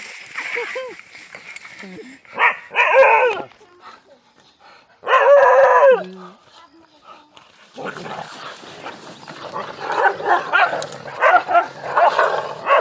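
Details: Dogs fighting among themselves, loud wailing yelps and whining cries in bursts separated by pauses, then dense snarling and barking over a continuous high whine.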